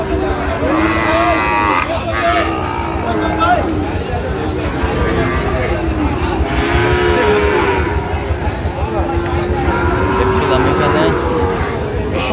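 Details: Sahiwal bull calves at Raniganj cattle market on 13 November, with a farmer from Comilla buying; several drawn-out, wavering moos rise and fall over steady crowd chatter, bargaining voices and traffic noise.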